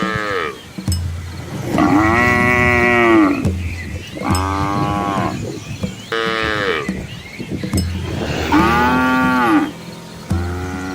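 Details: Dozens of Asian village cows with calves following their mothers on a scenic rural road; four long bellowing moos about every two seconds, each swelling and then fading, with a low hum between calls.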